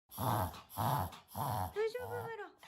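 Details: Maron, a one-year-old Shih Tzu puppy kept as a pet in America, reverse sneezing and wheezing indoors while filmed to show a doctor: three harsh snorting bursts about half a second apart, followed by a brief drawn-out whining tone.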